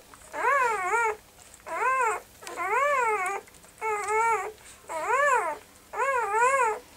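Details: Puppies whining in six drawn-out, tonal whimpers, each about a second long, arching up then sliding down, separated by short pauses; the cries sound clear and strong against a quiet background.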